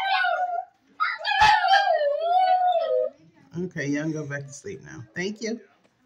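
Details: A Shih Tzu, one of three trained to "sing" along when their owner sings good morning, gives a drawn-out, wavering howl in the morning, followed by a person speaking softly.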